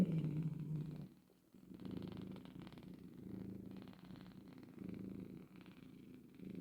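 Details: Cat purring, a mother with her kittens indoors; deep rumbling purr in breathy swells, with a short quiet gap near the start and light rustling throughout.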